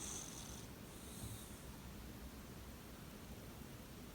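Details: A sleeping female Shiba Inu snores loudly with a low, rumbling, steady drone; the owner wonders whether such loud snoring is normal.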